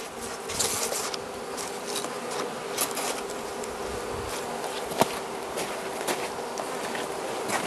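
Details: Carniolan honey bee colony in its hive, Southern Finland, 16 March 2017, outside temperature +3 C, opened for feeding by the Mountain Camp method: a steady low droning hum with a fainter deeper layer, broken by scattered clicks and crackling handling noises.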